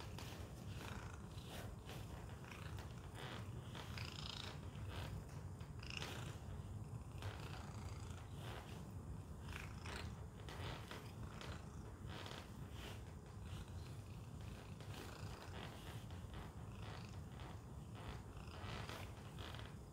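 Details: Continuous low purring from Tacy, a house cat making use of a Chewy shipping box, with frequent short taps and rustles layered over the unbroken rumble.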